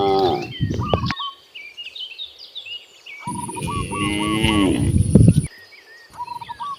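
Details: Cows roaming freely in nature on their way to vast grasslands; one long, deep, harmonic moo rises mid-clip, while a bird's repeated short hooked whistles and other chirps continue throughout.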